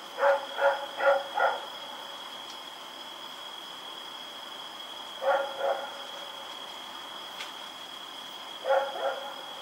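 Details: Rex the dog, out running in the night on October 7, 2018, gives a fast series of four barks, then two, then two more after pauses, over a constant high whine.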